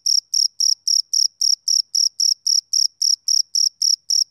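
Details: A male cricket on a summer evening gives sixteen sharp, high-pitched chirps in quick, even succession, almost four per second, against a silent background.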